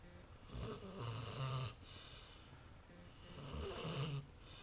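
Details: Lexie, a pet dog, snores while sleeping on the couch; two moderate, rasping snores roughly two and a half seconds apart, with airy breath noise between them in a quiet room.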